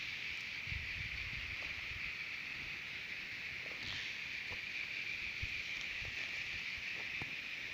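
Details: Cicadas singing at Terek-Sai, Jalal-Abad, Kyrgyzstan, produce a constant high-pitched buzz over low background rumble, with occasional ticks and taps scattered through.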